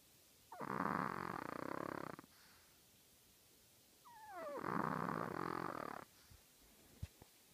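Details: Sleeping chihuahua of just 3.5 pounds snoring loud: two long, harsh, rattling breaths about one and a half seconds each with a brief whistling wheeze at the start of the second, then a soft click.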